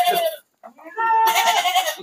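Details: Goats among a load of sixty being shipped at night by truck to the city of Jambi, Indonesia. A short broken bleat, a pause, then a longer, harsh, wavering bleat with rich harmonics, possibly from several animals.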